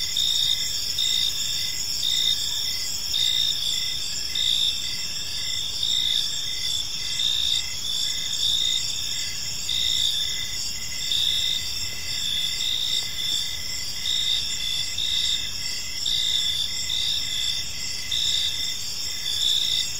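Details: Evening park chorus of crickets, steady shrill trilling layered at several pitches with regular chirp pulses repeating about once a second, soft background hiss underneath.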